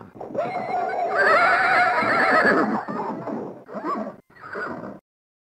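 A horse gives a loud, quavering whinny, then two short, breathy nickers.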